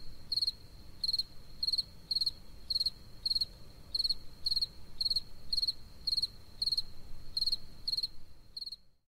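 Steady, high-pitched chirps from a spring field cricket come in a quick, even rhythm of roughly two per second, each a brief trill of pulses. A soft low rumble runs underneath.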